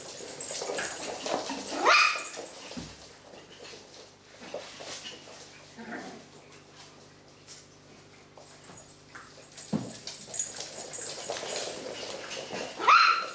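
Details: Pedigree Coton de Tuléar puppies, eight weeks old, at play with a ten-week-old French bulldog; sharp scattered yips and small barks in bursts, with high squeaky cries at the start and end and scuffling between.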